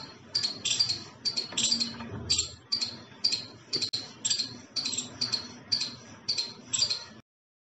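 A squirrel gives sharp, high squeaky chips, repeated about twice a second in a steady series.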